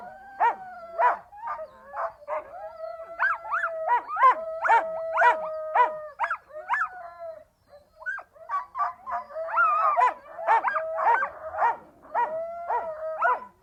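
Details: Siberian Huskies vocalising: long, steady, level howls held for several seconds, overlaid with a rapid series of short yelps and bark-like bursts about twice a second, a brief pause midway, then more howling and yelping.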